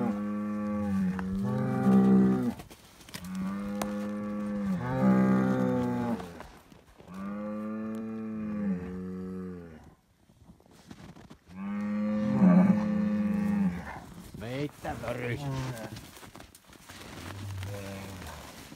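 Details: Noisy Highland cattle bull at a farm in Finland, fed bread: a run of long, deep moos, each about one and a half to two seconds with slightly rising then level pitch, then a break, one more bellow, and softer fading lows near the end.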